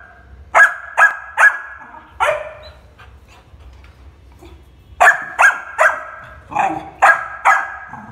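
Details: Shiro, a Labrador Retriever puppy, gives a quick run of four barks, falls silent for nearly three seconds, then resumes with a rapid burst of about seven barks, some doubled.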